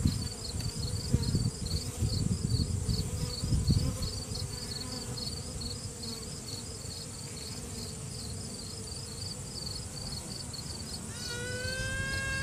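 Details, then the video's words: Virgin honey bee queen inside a hive, piping to assert dominance, caught on a cell phone while a frame is held: steady colony hum, then near the end a drawn-out rising tone breaking into short toots. "Queen Bee strange noises"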